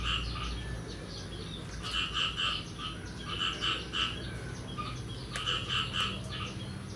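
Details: On the morning of 9 May 2022, following the first rain of the year, frogs call in quick clusters of three short croaks, each group separated by brief pauses, over a constant low background drone.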